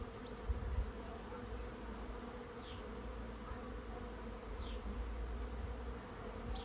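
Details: A honey bee swarm settling into a swarm trap makes an even, low buzzing drone, while a small bird adds three brief, high, descending chirps spaced a couple of seconds apart.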